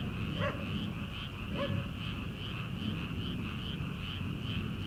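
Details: A continuous trilling frog chorus rises from rice fields at the start of summer, ahead of rice planting. Two faint barks from a distant farmhouse dog break in near the start, over a soft, low background hum.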